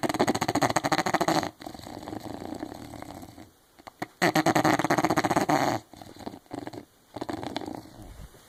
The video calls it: English bulldog Zella snoring